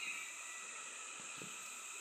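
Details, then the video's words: A cicada on a forested ridge in the Philippines gives a loud, steady, high, hissing drone that holds unbroken throughout. "Now, there's one of the cicada species you're hearing right now."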